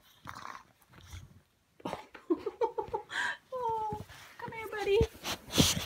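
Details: French bulldog puppy playing with his older brother indoors, giving short harmonic whines and yelps that slide downward, mixed with scuffling, growly bursts and a person speaking.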